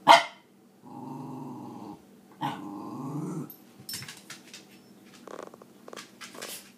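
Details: Maggie, a scruffy pet Cairn Terrier, arguing about sharing her toys: a sharp bark opens, then two long, low rumbling growls, with faint clicks and rustles after.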